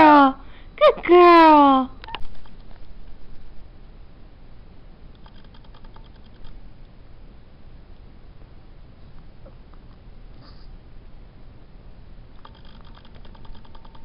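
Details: Nora, a black and tan New Guinea singing dog, gives loud sliding, harmonic-rich howls in the first two seconds, one falling and one rising, then near silence with faint beeps and low hum.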